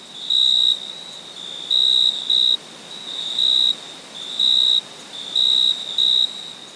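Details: Crickets at night: shrill, high-pitched trills in half-second bursts, some doubled, about seven in under seven seconds, over a continuous thin high hum.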